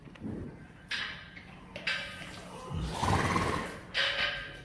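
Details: Friesian horse in an indoor stable where the herd is given pellets after riding; a wavering, quavering whinny rises mid-clip, framed by sliding-door rumbles, thuds and bursts of hissing broadband noise.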